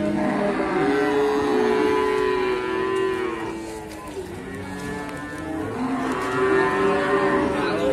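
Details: Simmental calves at Sukorejo animal market in Kendal, Indonesia, where a black Simmental is shown, low drawn-out moos with rich harmonics, several overlapping calls from different animals, with steady market crowd noise behind.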